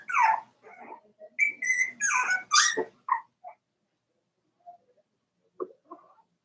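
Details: Cavalier King Charles Spaniel puppies, four weeks old, in Daisy's puppy pen: a three-second burst of overlapping high squeals, yips and whines, followed by quiet and a few faint, soft whimpers near the end.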